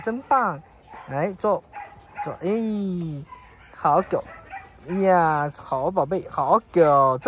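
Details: Three-month-old Samoyed puppy at a training school, abandoned by its owner after two months of lessons; a run of loud, whining, yodel-like cries that rise and fall, about eight bursts over seven seconds with short gaps.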